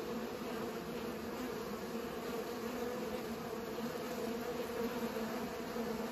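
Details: Pollinating bees hum in a continuous, low droning buzz, layered bands of tone holding steady across the whole stretch, with no other clear sounds.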